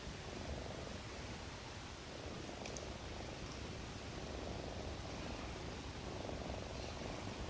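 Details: A sleeping cat, said to be dreaming of its mother's milk, snores with a low, steady rumbling breath that runs throughout with faint swells, and a brief high click partway through.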